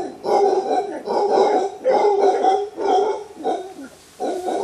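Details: Warning roar from an alpha male mantled howler monkey, wild, among a large clan in Costa Rican bamboo forest; gravelly throaty bursts about every second, rising and falling in loudness, a brief lull near the end.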